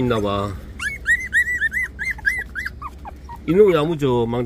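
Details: Puppies 24 days old, making high, thin whimpering whines that arch up and down and repeat quickly in a run. A human voice is heard briefly before and after.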